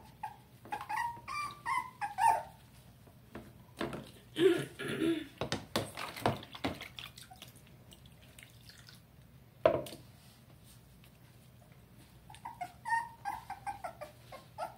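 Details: Young Dachshund being bathed in Tampa, Florida, in July 2020, giving thin descending whines at the start and again near the end, separated by dripping water, splashes and quiet stretches.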